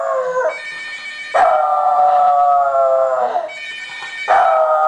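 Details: French Bulldog howling at a ringing phone: one long, steady, tonal howl held about two seconds with rich harmonics, flanked by a shorter howl before and the start of another after.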